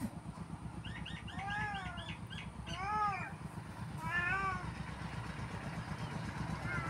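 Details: Cat meowing repeatedly, a quick run of short arched mews followed by two longer, clearer rising-then-falling meows, with constant low rumbling hum in the background.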